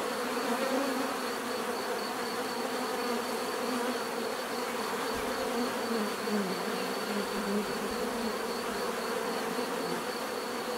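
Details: Continuous natural buzzing from bees, a thick, even drone with soft rising and falling hums weaving through, over a constant faint high-pitched tone.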